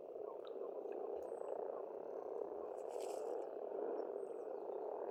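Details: Spring frog chorus at a pond on an Estonian farmstead: a dense, continuous low croaking hum from many frogs, with thin high bird whistles and chirps scattered above.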